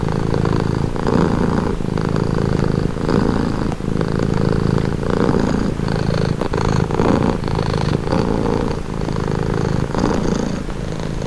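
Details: Relaxed house cat giving a long, low purr, rhythmic rumbling bursts repeating about once a second with brief dips between breaths, steady and intimate.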